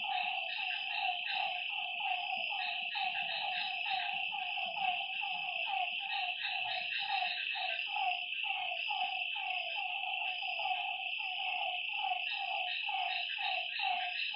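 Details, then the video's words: Lakeside frogs at night keep up a dense chorus of brief, downward-sliding notes, several each second and overlapping, while a steady shrill insect hum runs underneath throughout. "Lakeside night creatures and frog sounds"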